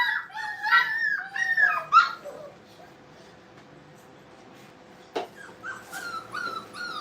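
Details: Brittany puppies playing in a kennel: a cluster of thin, squeaky yips and whines early on, then near-silence broken by a single sharp knock and a few more soft rising whimpers.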